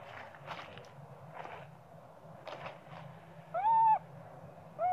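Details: Hungry young monkey screaming for its mother's milk: after soft rustling and shuffling noises, one loud, arched, whistled wail, then the start of another cut off at the end, with a steady background hum.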